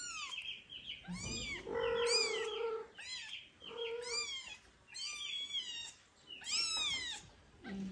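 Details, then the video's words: Tiny kittens meowing near their huge father cat, who cares for them like a mother. Loud, harmonic meows come in quick bursts, some short and rising, one longer and lower, with brief pauses between. "Huge dad cat wants to be like mom for cute meowing kittens"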